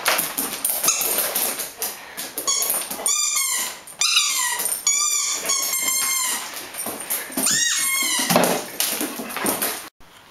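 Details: Greater Swiss Mountain Dog at play with a ball, whimpering and yipping repeatedly: high, whistly whines that bend up and down in quick clusters over several seconds, mixed with scuffling and rubbing sounds.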